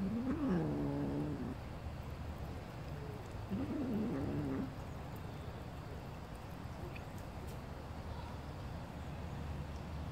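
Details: Very small kitten, described as tinier than a calico kitten, giving two thin, wavering mews a few seconds apart over a steady hiss of background noise.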